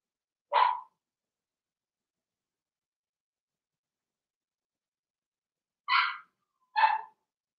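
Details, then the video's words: Blenheim Cavalier King Charles Spaniel puppies in an indoor pen, one of a litter of six, giving sharp high yappy barks: one bark, a long pause, then two quick barks. "Cavalier Puppies Live"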